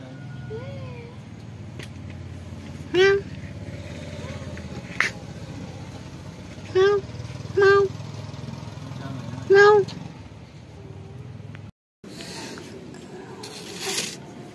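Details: Hungry cats and kittens living at a pagoda call while being fed: four short wavering meows spread over about seven seconds, plus a faint earlier mew, over a steady low rumble like traffic, ending in broadband rustling.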